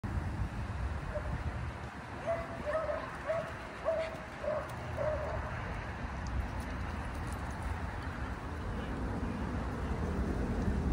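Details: Shetland Sheepdog, mistaken for a miniature collie, barking while attempting to herd another dog outdoors; a run of about six short, evenly spaced barks mid-clip over steady traffic-like rumble and background noise.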